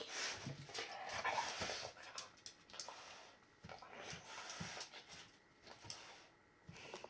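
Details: Early morning indoors, Rocky the Akita mix shows joy with his whole body, giving unusual excited cries: rapid high whimpers and yelps in uneven bursts, mixed with panting and snuffling, after a person's repeated greetings.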